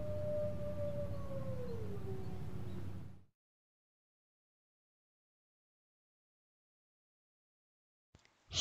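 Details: A wolf gives one long howl lasting about three seconds. It holds a steady tone, then glides smoothly downward, over a low rumbling background. Silence follows, and a sudden noise comes at the end.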